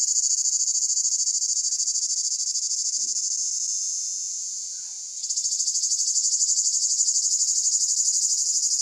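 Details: Summer chorus of cicadas in Pelion, Greece. A piercing high-pitched rasping drone pulses rapidly, gradually softens for a few seconds, then surges back at full strength.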